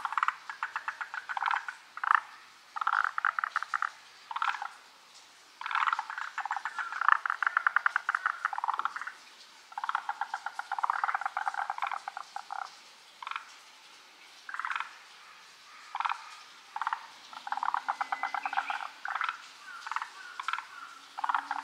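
A dense chorus of forest green tree frogs, with many overlapping rattling, pulsed croaks in bursts.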